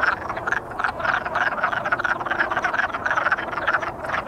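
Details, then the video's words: Wood frogs courting, a dense chorus of short, clucking, duck-like croaks overlapping rapidly throughout with no pause. "Wood Frog Boogie"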